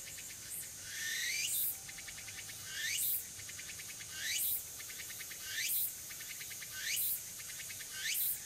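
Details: Early-autumn afternoon tsukutsuku-boshi cicada at Furuta Magarikawa, Nishinoomote, Tanegashima, September 2022; loud sweeping rising buzzes roughly every 1.3 seconds, each followed by rapid pulsed ticking, over steady high insect hiss.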